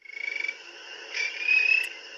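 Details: A spring peeper gives a trill of rapid pulses blurring into a sustained tone, more musical and higher-pitched than a western chorus frog's trill.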